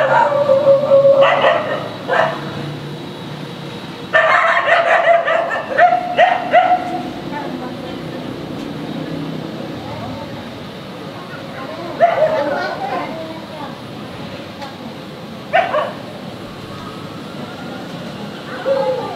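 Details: Angry German shepherd barking loudly in the street; clustered bursts of sharp barks at the start and middle, then single barks spaced several seconds apart, over low traffic-like rumble.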